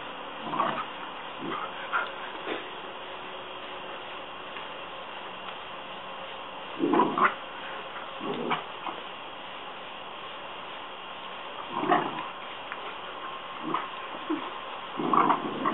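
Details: A Rottweiler that hates the water hose barks at it: deep, rough barks in scattered bursts, some doubled, with growly edges between them, over a continuous hiss of spraying water.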